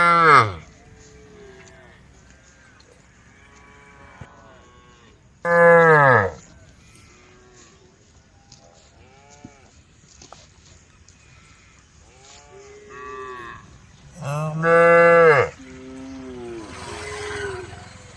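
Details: Herd of cows wandering along a road beside a forest, calling to the herd. Loud moos come at the start, near six seconds and near fifteen seconds, with softer distant lowing in between.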